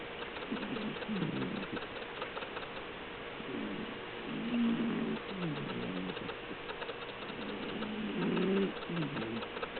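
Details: Low, gravelly snores from Melinda, a domestic cat asleep, rising and falling with each breath, several uneven puffs in a row, with a soft background hum throughout.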